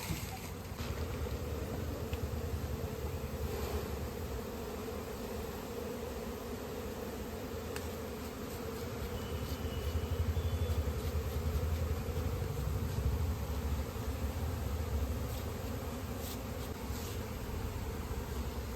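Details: Honey bees on a bee farm in an Indian village where natural honey is being collected; a steady, low droning hum runs unbroken through the whole stretch, swelling slightly midway, with faint clicks and handling noise above it.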